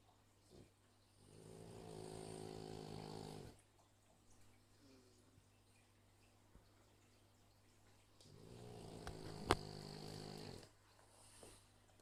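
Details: Sleeping dogs snoring softly: two long, rasping snores of about two seconds each, separated by several seconds of near silence, in a quiet setting.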